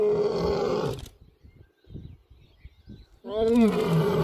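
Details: A handsome young male Asiatic lion, resting on a safari track in Gir Forest one morning, stretches and gives loud, rough roars, with a quiet pause between the two bursts.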